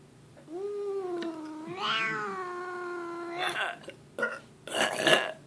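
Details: Indoor cat Leo, grumpy and yowling without warning, gives one long, level moan lasting about three seconds that rises slightly near its middle, followed by bursts of human burping and talk.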